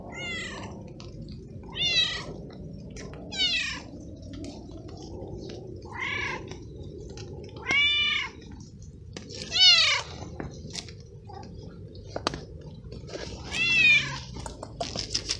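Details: Abandoned stray male cat, wet and unsheltered in rain, meowing repeatedly while being helped and given treats; seven short arched meows roughly every two seconds, some sharper and higher, over constant rainfall and clicking.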